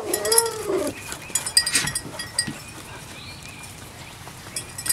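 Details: Puppy at playtime gives a short, high, wavering whine that rises and falls over the first second. Rustling and scattered clicks and knocks follow.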